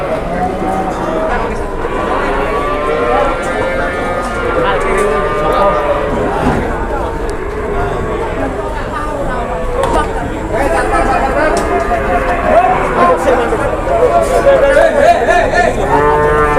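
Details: Cattle at a crowded cattle market, several drawn-out lowing moos rising and falling in arcs, overlapping with busy human chatter and market bustle throughout.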